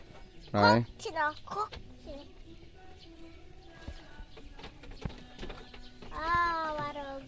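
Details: Sheep being fed, giving a loud wavering bleat near the start, two shorter cries just after, and a longer drawn-out bleat toward the end, with quieter clatter and rustling in between.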